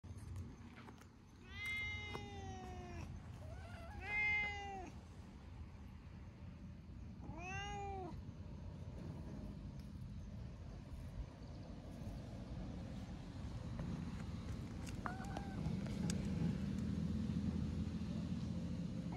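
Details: Stray cats sunbathing together, an affectionate orange tabby among them: a run of rising-then-falling meows early on, another at about seven seconds, and a fainter short meow later over low outdoor rumble.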